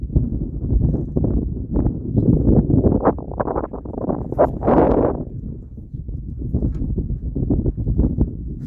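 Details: An African buffalo (Syncerus caffer) in Tsavo East National Park, Kenya, gives low, rough grunts over a steady rumble, with one louder, longer bellow midway.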